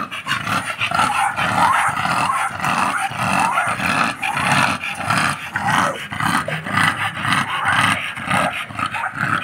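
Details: American Bully dogs named Happy and Demon, off their chains: rough, breathy growling pulses repeating about twice a second, steady and loud throughout.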